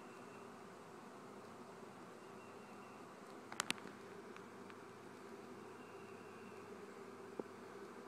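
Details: Honey bees swarming from a family-kept colony give a constant layered hum, broken by a few sharp clicks in the middle and one more near the close.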